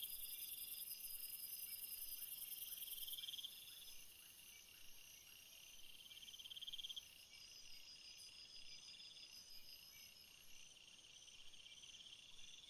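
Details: Crickets calling at night: dense, shrill, layered high-pitched trilling with steady drones and bursts of rapid pulsed chirps. The overall loudness drops suddenly after about three seconds. Faint soft lower pulses sit underneath.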